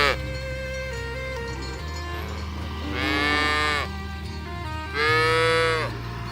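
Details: Herd of cattle being driven toward the pen through a rice field ditch in the countryside; two drawn-out, rising-then-falling moos about two seconds apart, over steady background music.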